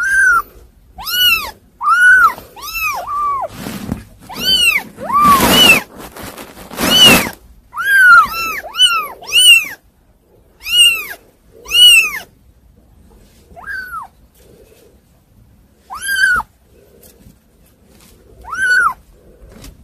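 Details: Kittens, said to be hard to manage, mewing in a steady series of short, arched high cries, broken by a burst of rustling noise, with the calls thinning out to occasional single meows.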